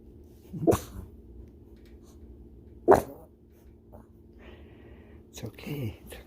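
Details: A sleeping pug puppy gives loud, rough snorting snores, two sharp bursts a couple of seconds apart.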